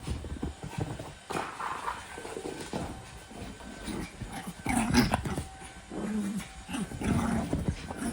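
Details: Maltese puppy Boreum dashing about excitedly after a walk, giving short, low, grumbling growls in bursts around the middle and end. Scuffling paws and indoor rustling fill the gaps.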